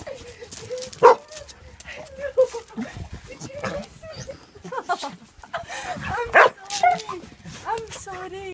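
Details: A 13-year-old German Shepherd and American Pit Bull Terrier mix reunited with her owner after a very long time apart, giving high wavering whimpers and short excited yips amid a woman's overlapping speech and handling noise.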